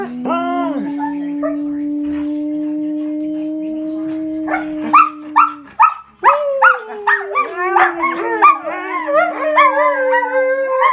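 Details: Growing wolfdog pups, kept with a husky, hold a long, steady howl, then break into quick yips and chattering whines.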